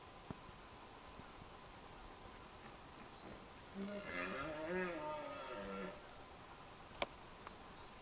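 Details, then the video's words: At dawn during the rut in Scotland, a deer gives a single drawn-out, throaty roar lasting about two seconds, roaring at others across a glen, with small birds in the dawn chorus. "Deer roaring during the rut - at dawn, Scotland, part two."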